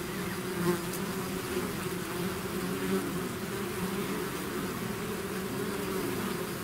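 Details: Many bees swarming from their hive produce a steady buzzing hum, low and constant, with single bees briefly whirring louder as they fly close.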